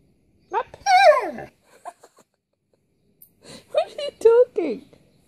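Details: Pet Siberian Husky complaining: two bursts of drawn-out, wavering, yodel-like whines that rise and fall, with short pauses between, and a person talking back to it.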